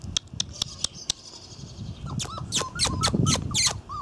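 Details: Irish Terrier puppies from the N litter on their first outing: a run of sharp clicking taps opens, then several short, high squeaky whimpers, each arching up and down in pitch, come in quick succession over a faint background.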